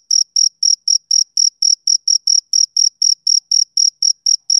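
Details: Male cricket chirping on a summer evening: high, pure-toned chirps about four per second, steady and evenly spaced, each short and bright with a faint higher overtone, against a silent background with no other sounds.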